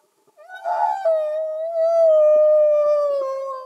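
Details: Humpback whale song heard underwater, free of music: one loud, sustained, wailing tone that holds nearly level and slowly sinks, with bright overtones and a few soft clicks beneath.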